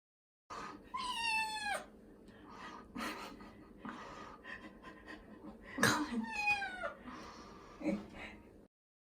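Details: Male Scottish Fold cat crying loudly during its first bath, which it dislikes: drawn-out wailing meows sliding downward, repeated, with splashing, rustling and a woman's soothing Japanese voice.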